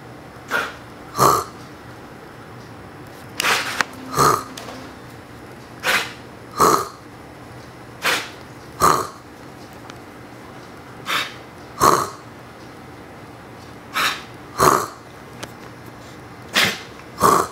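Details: A one-and-a-half-year-old Siberian Husky gives short, rough, cough-like bursts, mimicking a person's coughs in a back-and-forth exchange.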